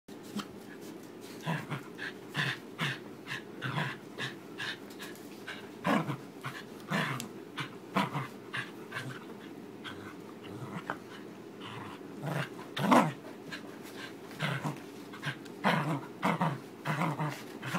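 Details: Frankie, a fluffy Corgi with a fresh summer haircut, tugs on his new rope bone, giving short rough growls and huffs in quick irregular bursts, about two each second, with one louder snort near the middle, over a steady low room hum.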